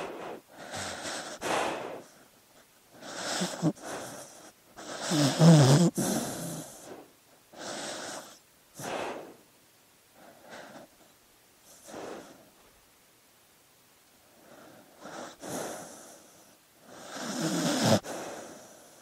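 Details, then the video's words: A sleeping dog breathing noisily: a run of short wheezy, snorting breaths in uneven bursts, some louder and throatier than others, separated by quiet gaps of a second or more. "Sleeping Dog Sounds"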